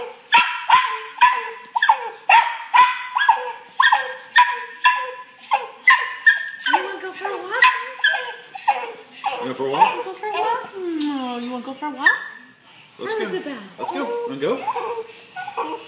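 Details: Excited fat dog looking forward to a walk gives a quick regular series of sharp barks, then breaks into wavering, falling howl-like whines before more yips.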